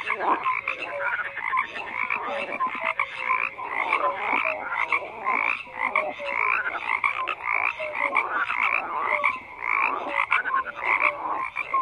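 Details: Continuous frog chorus: countless overlapping croaks, clicking rattles and short piping notes repeating without a break for the whole stretch.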